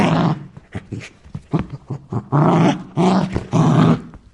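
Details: Aggressive Rottweiler snarling with low, throaty growls that swell into three loud, sustained rasping barks near the end, in a small indoor space.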